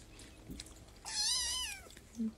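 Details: A kitten gives one drawn-out meow with a rising then falling, slightly wavering pitch, preceded and followed by faint low rustling.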